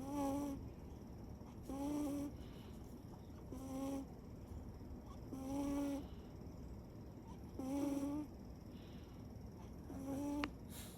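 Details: Sleeping Siberian cat named Chiro with eyes still open, snoring steadily. Six short, reedy, whistled snore tones come at roughly two-second intervals in an even breathing rhythm. A low hum sits underneath.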